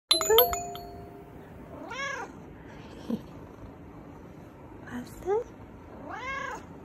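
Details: A neutered male house cat that keeps trying to mount gives three short, arched meows spaced a few seconds apart. A bright bell-like chime sounds at the start, and faint music plays in the background.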